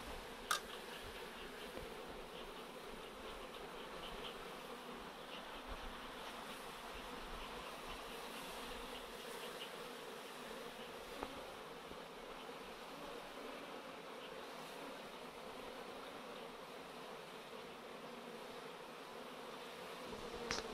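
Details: Honey bee swarm buzzing as it is collected from a chain-link fence into a swarm catcher, a steady, even, many-voiced drone that holds throughout with almost no change and only a couple of faint clicks.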